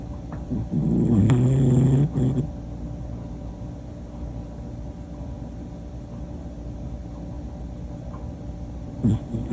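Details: Sleeping Pomapoo dog snoring: a single low, rumbling, rattly snore lasting nearly two seconds, then quiet breathing under a steady room hum, with the start of another snore at the very end.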